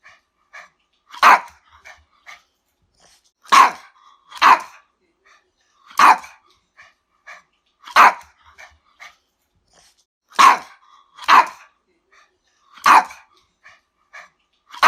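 A dog barks in sharp, loud bursts, singly or in quick pairs, every second or two.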